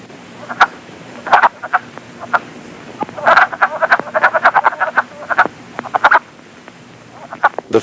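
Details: In late February, male wood frogs in woodland puddles call for mates with soft, faint, clucking, duck-like quacks in short irregular bursts.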